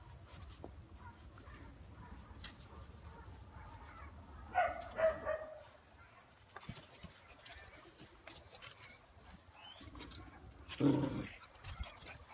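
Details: A 2.5-month-old Phu Quoc Ridgeback puppy, offspring of Vằn and Mowgli, displaying hunting instinct gives two short, rough bark bursts roughly six seconds apart, the second lower and deeper, amid steady low background hum.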